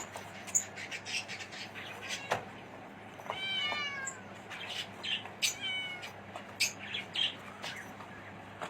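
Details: Male and female Himalayan kittens aged 45 days; one clear rising-falling meow in the middle, then a couple of fainter mews, with quiet music playing behind.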